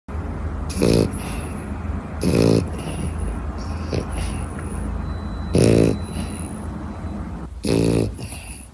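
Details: Puppy giving four short, harmonic yelping barks spread across about nine seconds, each a brief rough burst, over a steady low background hum.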